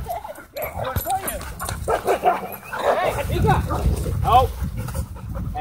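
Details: Dogs in wild play at a dog park, with short high yips and whimpers rising and falling over low growling and scuffles, while a person speaks nearby.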